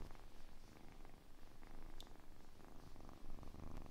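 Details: Quiet kitten purr recorded for ASMR, a soft low rumble pulsing with the breathing, fainter and less distinct, with a small click near the middle.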